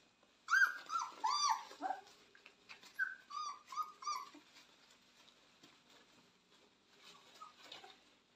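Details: Indoor litter of purebred Cane Corso puppies, born 18 October 2022, giving clear high whimpers: a burst of three bending whines, then short yelping whines in quick succession, fading to faint squeaks toward the end.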